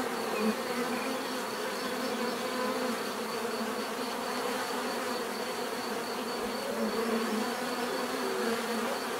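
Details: Bees buzzing in a continuous, steady drone of many overlapping wingbeats, a dense hum with layered tones around the mid range and a faint high whine, level and unbroken throughout.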